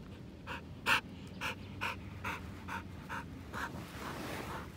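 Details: Elderly white Samoyed named Pasepon panting on a lawn: about ten quick breathy puffs, roughly two per second, one louder gasp near the start, over a low background rumble.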